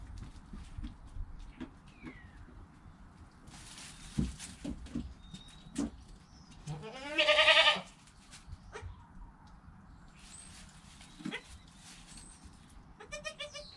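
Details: A newborn goat, within an hour of birth beside its calm mother, gives one loud, quavering, nasal bleat among soft rustles and clicks.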